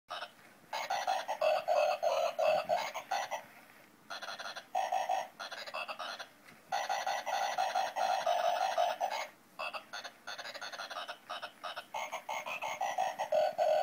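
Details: Frogs singing: loud, buzzy croaking bursts in rapid runs of about three per second, separated by brief pauses and carrying rich harmonic overtones throughout.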